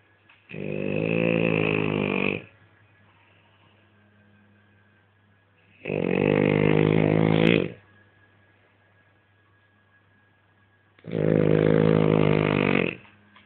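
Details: A French Bulldog snores loudly and steadily: three rough, buzzing snores of about two seconds each, repeated roughly every five seconds, with near silence between them.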